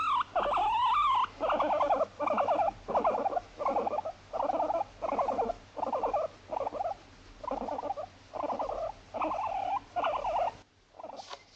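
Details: Household pet Moru-chan, a female Abyssinian guinea pig born 29 November 2017, talking in everyday apartment life: quavering squeaky calls repeated about 83 times a minute in loose rhythm, ending with a pause and a faint last note.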